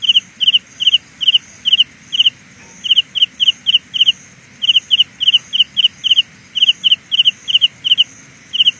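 A Carolina ground cricket sings in quick, high, buzzy pulses, repeating about three times a second.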